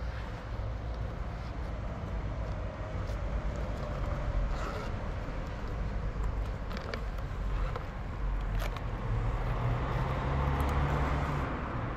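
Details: Steady low rumble of passing vehicles in an urban outdoor setting, with faint speech and no animal call.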